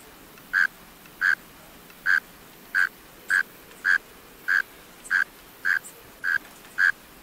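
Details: Burrow-calling male mole cricket producing about eleven short, buzzy chirps at a slightly uneven rate of roughly one and a half per second, over quiet background noise.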